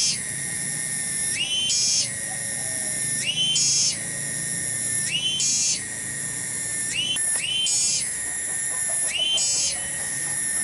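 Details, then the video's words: Tonggeret, a cicada recorded in a garden in Kampung Bunder, Bungursari, described as tiny yet very loud. Intense high metallic whistling, each phrase rising then holding, pulses about every two seconds; a brief clatter near the seven-second mark. "SORA TONGGERET DI KEBON"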